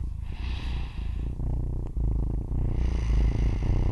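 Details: A four-week-old female Siamese foster kitten, snuggled up to a person's face and falling asleep, purrs in a low, steady rumble, broken now and then by soft snoring breaths.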